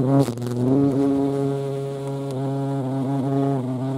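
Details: European hornet (Vespa crabro) giving a loud, close, steady low drone rich in overtones. The pitch wavers slightly throughout, with a brief louder burst near the start.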